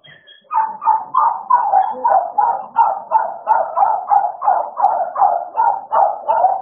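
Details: American Bully dogs named Idol and Alice during playtime: a steady run of short, mid-pitched barking and grumbling bursts, about three per second, each swelling and fading in a rolling rhythm, with little else in the background.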